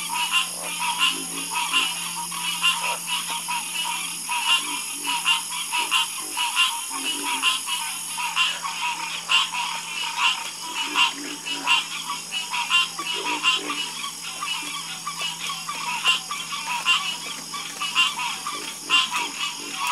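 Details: Night chorus of many frogs, overlapping rapid croaks forming a continuous pulsing wall of sound, with a constant low hum and a high steady hiss throughout.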